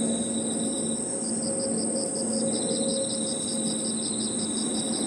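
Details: Crickets and other insects at evening in a park: a high steady whine, a lower trill, and a run of quick pulsed chirps starting after a second, with a faint low steady mechanical hum underneath.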